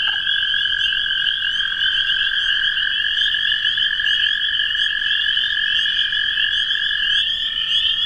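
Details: Spring peepers and toads in a thick mixed chorus, a constant piercing trill layered with rapid overlapping peeps.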